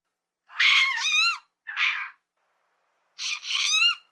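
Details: Lemur from the forests of Madagascar calling: two drawn-out wavering wails, each about a second long, with a short squeal between them and silence in the gaps.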